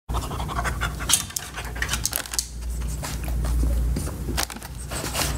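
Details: French Bulldog eating Sprinkles pupcakes, a dog cupcake treat, filmed up close for ASMR; rapid breathy panting with wet chewing and licking clicks, a steady low hum underneath.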